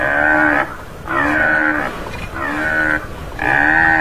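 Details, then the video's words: Tamaraw or Mindoro dwarf buffalo (Bubalus mindorensis), endemic to Mindoro Island, Philippines, gives four drawn-out, nasal bleating calls, each under a second with a slight falling tone, repeated roughly every second. "Tamaraw Calling Sound"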